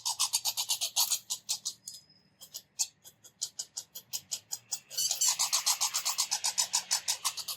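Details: Red squirrels, a pair not getting along, squeak loudly while chasing around a bird feeder; a fast train of short rasping, high squeaky pulses, about four per second, pausing briefly then resuming louder and denser.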